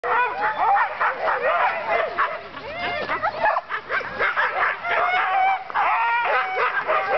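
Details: Sled dogs at a dogsledding outing give a dense, continuous chorus of high overlapping yelps, yips and excited barks, with whining tones rising and falling throughout and a brief dip in loudness midway.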